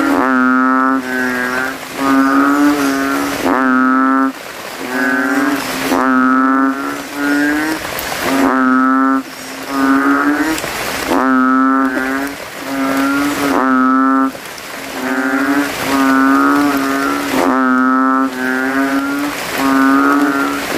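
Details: Banded bullfrogs at night after rain in a cemetery puddle, males inflating throat sacs and competing to call loudest: deep, harmonic, drawn-out lowing notes about a second long, overlapping from several frogs, roughly one every two to three seconds.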